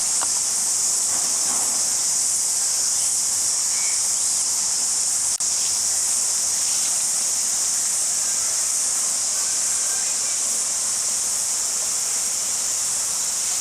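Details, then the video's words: Crickets chirping in Jelly Park, Christchurch, New Zealand, in February 2010: a steady, unbroken high-pitched shimmering trill that runs through the whole recording without pauses, with faint scattered background sounds. "Cricket Chirping Sound"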